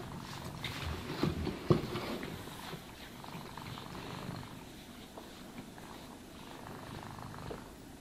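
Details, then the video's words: Domestic cat purring while being brushed and groomed: a low, continuous rumbling purr with soft swells, a couple of sharp brush or handling clicks near the start, quieter toward the end. "Cats Purring Sounds for Sleep and Stress Relief | Cat Brushing, Cat Grooming"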